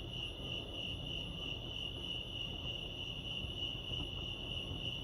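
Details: Crickets chirping at Lake Arrowhead, California, outdoors in nature: a steady, high pulsed trill repeating rapidly without pause, with a faint low background rumble.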